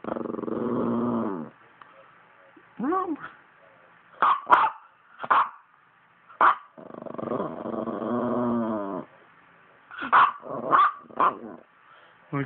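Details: Talkative poodle making long, wobbling, moan-like growls, one lasting over a second and another about three seconds, broken by clusters of brief high yips and barks; a person's voice is faintly heard.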